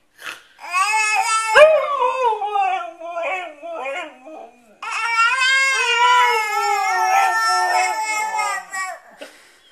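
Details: Siberian Husky howls alongside a baby; two drawn-out, wobbling, tonal howls split by a short pause, with a sharp knock near the start of the first and baby-like babbling woven through.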